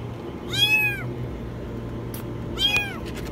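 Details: High-pitched meows from a kitten trapped in a washing machine, two arched cries about two seconds apart, with a faint click and a constant low background hum.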